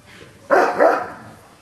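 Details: An old dog, too old for a lively young pup jumping around him, barks at it with hackles up. One loud, harsh, broadband bark with a brief second pulse.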